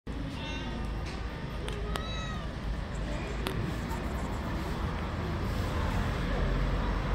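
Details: A hungry kitten, one of the stray cats living on the street, meowing for food: two short, wavering meows within the first two and a half seconds, then only steady low outdoor street noise.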